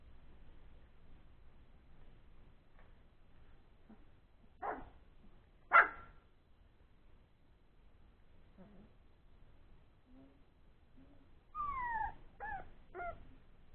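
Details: Three-week-old Old English Sheepdog puppies playing after a meal: two sharp yelps early on, scattered soft grunts, then a run of three or four high, falling whines near the end over a quiet indoor background.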